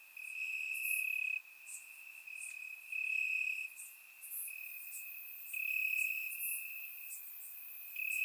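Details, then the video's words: Night chorus of crickets in Bulgarian grass on a warm summer evening: a sustained shrill trill that surges and softens in waves of roughly a second or two, with sparse higher chirps layered above. "Cricket Sounds - Crickets Chirping at Night"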